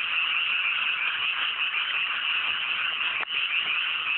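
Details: Night chorus of numerous frogs in cool mountain rice fields just after planting, clear weather, rural setting; continuous overlapping croaking, briefly dipping for an instant near the end before resuming at full strength.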